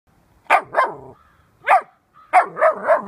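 A Bernese Mountain Dog puppy barks in brief, high-pitched yaps. The barks come singly and in quick clusters, some with a slightly whiny, rising-falling edge.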